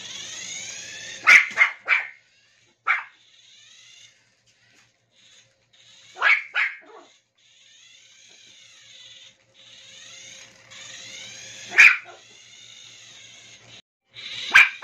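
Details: Playful Toy Poodle Maple chasing a remote-control toy: clusters of two or three sharp, high-pitched barks separated by several seconds, with the buzzing, rising-and-falling whine of the toy's motor running throughout.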